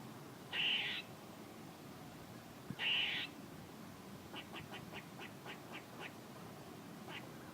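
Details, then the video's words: Two harsh, buzzy squirrel calls about two seconds apart, followed by a rapid series of soft, short clicking ticks. "A squirrel making noises"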